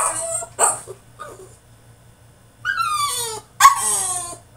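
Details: Tantrum from a French Bulldog in his cage: a sharp bark-like yelp, a pause, then two long, high, strained whines sliding downward, over a faint steady hum.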